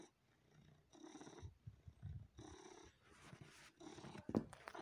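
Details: Domestic cat sucking on and massaging a person, purring: a low, rumbling, pulsing purr alternating with breathy exhaled phases, with wet sucking and smacking clicks near the end.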